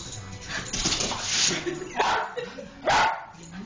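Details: Jack Russell Terrier barking while chasing a laser pointer up a wall: two sharp barks near the end, after a stretch of rustling noise and faint voices.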